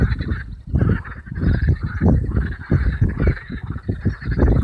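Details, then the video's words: On a warm May evening in the Allhallows marshes, North Kent, hundreds of marsh frogs give a loud, rapid, cackling chorus of overlapping pulsed croaks. "Marsh Frogs - Allhallows marshes, North Kent."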